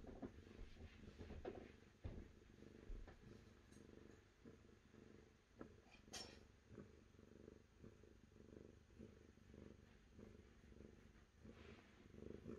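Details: A cat purrs steadily for over twelve seconds, a deep buzzing rumble cycling with inhale and exhale, broken by an occasional soft tap or clatter.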